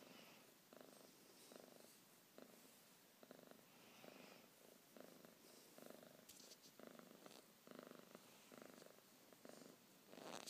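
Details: Cat purring close up in the morning to wake its owner, a rough vibrating purr pulsing in regular breaths roughly every second, with a few soft clicks and rustles in a quiet room.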